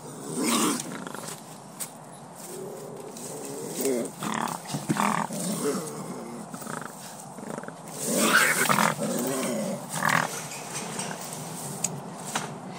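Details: A wild rehabilitation bobcat resisting being netted and vaccinated by four people gives harsh, hissing growls and spitting bursts in several loud bouts, with rustling and handling noise around them.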